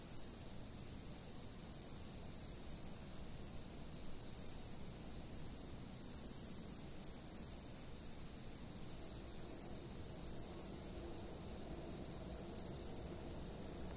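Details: Insects heard from a stationary camera: a continuous shrill high tone with scattered short trilled bursts at uneven intervals, over a quiet rustling background.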